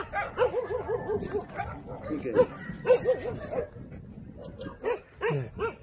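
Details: Sociable, good-natured Jindo dog gives a run of short, high, arching whimpers and yelps in quick bursts, pausing between groups, while people talk and laugh nearby in Korean.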